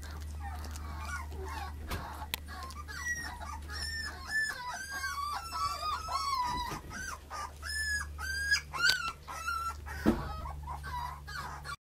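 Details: Female puppy, 35 days old, third pup of a litter; a string of high, wavering whines and squeals, some rising then falling, repeated through the recording over a steady low hum.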